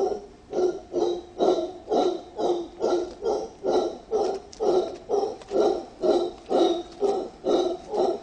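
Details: Two wild mantled howler monkeys in Cerro Blanco Protected Forest, Guayas, Ecuador, one howling: deep, rhythmic, hoarse roars pulsing about twice a second.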